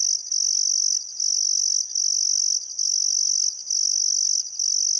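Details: Crickets on a still summer evening by the Barcoo River, Welford National Park, Outback Queensland, Australia; loud shrill trills in bursts of about a second separated by short pauses, roughly seventy per minute.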